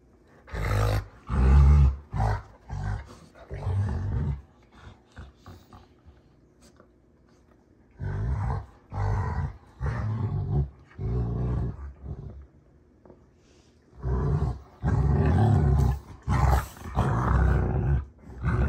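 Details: Rottweilers June and Kenai play fighting on a ranch, giving deep rumbling growls in loud bursts separated by quiet pauses.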